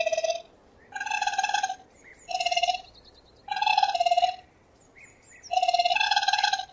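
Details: Raccoon producing rhythmic, vibrating trills in irregular bursts, some nearly a second long, interspersed with faint high chirps and short tonal squeaks; nothing else audible.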